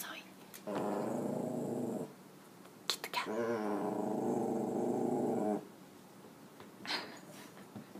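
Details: Zooey the dog, searching for cats, produces two long, rich, harmonic growling moans. The first lasts over a second, and the second, longer one lasts about two seconds. Quiet pauses and a brief human voice separate them.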